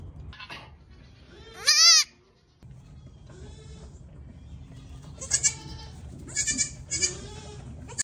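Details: Newborn female Pygmy goat on a farm in Knoxville, Tennessee, USA, giving one loud wavering bleat, then softer, higher short bleats later, with a low background hum between calls.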